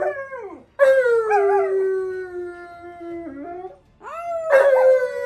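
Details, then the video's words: During tug-of-war play, the Siberian Husky Monroe lets out two drawn howling whines. Each starts with a swoop and then holds a long, slowly falling tone. A short pause separates them, and the second rises sharply before leveling off. "Husky Loses Tug Of War Then Goes For His Jugular"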